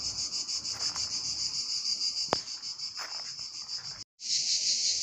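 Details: Male cicadas singing by day in summer heat in Drôme and Ardèche, France, a courtship call to attract females; a dense, steady, high buzzing hiss with fast rasping pulses, a sharp tick near the middle, briefly cut off before resuming.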